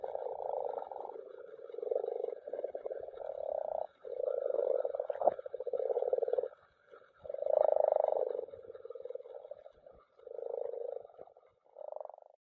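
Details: Common frogs (Rana temporaria) spawning together in a mountain pond; bursts of low, purring, rapidly pulsed croaks, each lasting one to two seconds, follow each other with short gaps, with a faint click midway.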